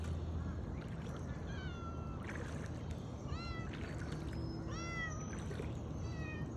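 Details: Pet cat stranded by floodwater calls out during its rescue: clear, rising-then-falling harmonic meows, about five in quick succession, over a constant low rumble of boat and water noise.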